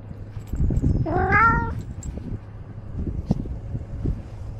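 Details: Ros the domestic cat, filmed from a camera on his body as he wanders outside, utters one brief rising-then-falling meow amid rustling, shuffling movement noise and a low steady hum.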